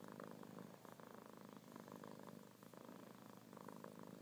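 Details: Loud, continuous purring from kittens, a rapidly pulsed buzzy rumble held evenly across the whole clip.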